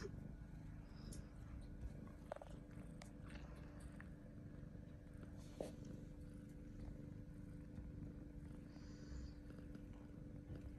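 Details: Xuni, a nine-month-old British Longhair colorpoint cat that loves boxes, purrs quietly: a steady low rumble runs through the whole stretch, with a few soft clicks and rustles and a faint constant hum.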